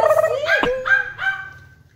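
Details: Jack, a playful, energetic Corgi belonging to a neighbour, gives a run of high, tonal whining yelps with a sharp bark-like burst in the middle, fading toward the end.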